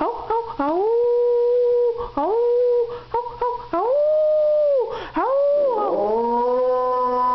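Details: A pet dog howling indoors, a run of short rising-then-level tones broken by brief gaps, followed by two longer sustained howls and a final lower, trailing note.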